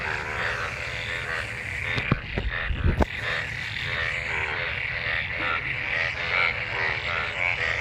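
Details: A mating gathering of frogs in rain-filled water following monsoon rain: overlapping pulsed croaks and a steady trill, broken by a few sharp knocks and thumps near the two-to-three-second mark.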